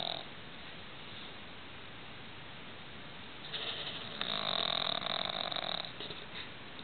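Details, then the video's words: Roxy the pug snoring loudly while asleep at night in low light. A steady hiss of breathing swells into a harsher, louder rasping snore for about two seconds near the end. "Roxy the Pug Chainsaw"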